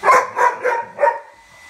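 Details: Rubble, a pet dog, barking at his bone: four loud, high barks within about 1.2 seconds, the last slightly drawn out, followed by a quiet tail of room noise.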